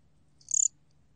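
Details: Single chirp of the Korean cricket gomgwitturami, 2020 recording: one high, bright burst of about six rapid pulses lasting a quarter second, over a quiet low hum.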